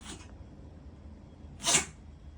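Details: Domestic cat with rhinitis sneezing indoors: one sharp, explosive burst of hiss-like noise about three-quarters through, preceded by a fainter, shorter puff at the start, over a quiet room background.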